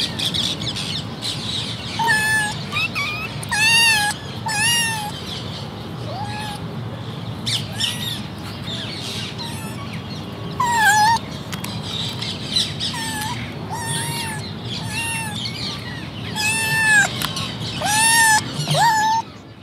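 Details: Three domestic kittens meowing almost continuously for twenty seconds, short high calls overlapping and following one another irregularly, some bending up or down in pitch, with a steady low hum beneath.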